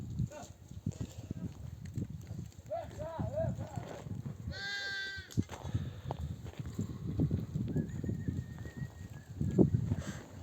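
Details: Returning from grazing, a nomadic flock's mother sheep call their lambs to suckle; one loud, clear bleat near the middle follows a softer, wavering one, over steady trampling of hooves and human voices in the background.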